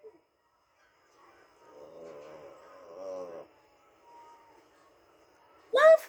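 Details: Female Shih Tzu named Muffin responding to her name: a drawn-out, wavering howl of nearly two seconds, then quiet, then a woman's voice at the end.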